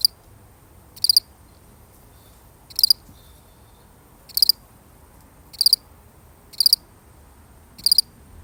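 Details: Lone cricket, real recording, sounding bright shrill chirps of a few quick pulses each, spaced roughly one to one and a half seconds apart over quiet background hiss.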